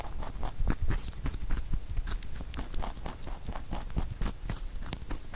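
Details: Pet rabbit nibbling a carrot songpyeon made for Chuseok; dense, loud crunching with fast sharp clicks, about four bites per second, steady throughout with close, intimate detail.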